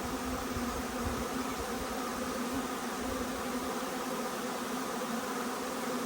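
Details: Huge honey bee swarm arriving, a steady dense buzz of countless wings with a banded hum around 250 and 500, some low rumble and gusty handling noise underneath throughout.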